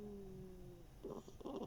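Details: Mashenka, a female hedgehog missing one ear, snoring and snuffling in summer 2021; a steady low droning tone holds for almost a second, then two short, breathy, rasping snuffle bursts follow in a quiet indoor setting.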